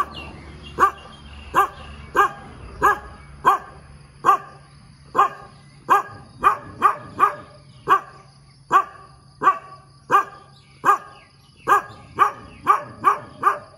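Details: A dog barks persistently in the morning, a long run of more than twenty short, punchy barks, at first about one per second, then quickening to near two per second, with a thin continuous whine behind.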